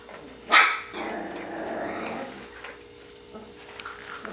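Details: Border Collie puppies from the Sissy and Match litter at Sixteen Hands Border Collies, indoors; a single sharp, loud yelping bark opens, then a low, rough growly rumble of playing pups continues.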